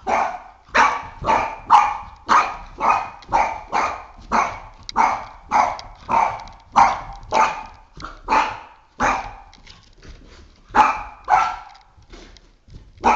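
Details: Oscar, a Boston Terrier of three and a half years, barks nonstop at a flashlight indoors: a long, fast run of roughly twenty sharp barks, nearly two per second, slowing and thinning toward the end.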